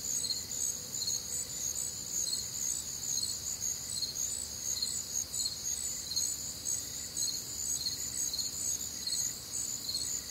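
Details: Crickets with other nocturnal insects on a warm, humid Midwestern summer night: a dense high chorus of pulsed chirps, roughly two per second, layered over a steady shrill trill, with a faint softer chirp lower down.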